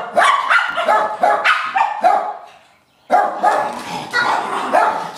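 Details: Pair of pet dogs at play, barking in rapid repeated volleys of bright, harmonic barks, a short pause near the middle, then another burst of excited barking.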